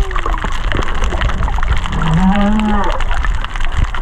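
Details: Humpback whale song recorded underwater at Kaanapali Bay, whales estimated under 500 m away: a low, drawn-out moan rising slightly over steady hiss, with crackling from fish eating coral.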